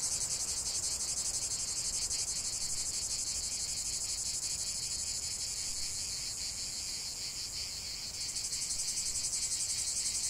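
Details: Chorus of cicadas, a continuous harsh shimmering drone with rapid rhythmic pulsing that eases slightly around the eighth second, then swells again; no other sounds stand out.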